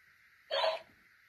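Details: A single quick, clipped yap from a playful Dachshund puppy, lasting under half a second, over a constant low hum.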